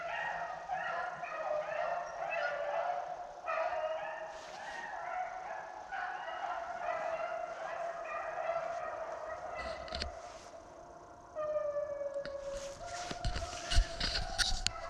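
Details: A pack of beagles, on their first rabbit run of the year, bays in overlapping, ringing, drawn-out howls while chasing a rabbit around a pond; an old 13-year-old dog lags behind in the background.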